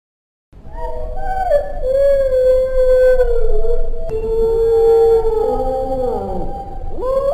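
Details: A dingo, Australia's wild dog, which howls rather than barks, gives a long, sustained, wolf-like howl that slides gently in pitch before dropping away.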